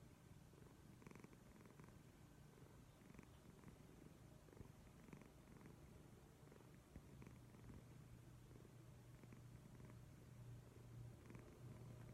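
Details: Leo, a pet cat, snoring loudly indoors while someone tries to rest: a soft, steady low rumble with faint brief clicks above it, growing slightly stronger toward the end.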